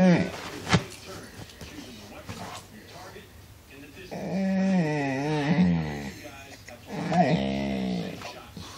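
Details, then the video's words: Crazy noises from Cooper, a household dog: after some low rumbling and thumps, a sustained wavering howl swings up and down in pitch for about two seconds, followed by a shorter, similar moan. "More crazy cooper noises"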